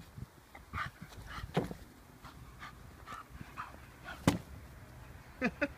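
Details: Vinnie, an 18-month-old male Staffordshire Bull Terrier, unsure of a balloon: quiet snuffles and soft huffs broken by a few short, sharp bark-like bursts, the loudest near the middle and two close together at the end; faint room noise underneath.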